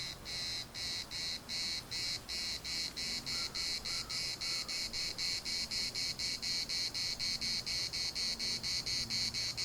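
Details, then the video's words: Cicadas in the municipal park of Larnaca give a rasping, high buzz chopped into quick pulses, speeding to about four per second, with a few soft, short tonal notes faintly behind it. "CICADAS at the municipal Park Larnaca"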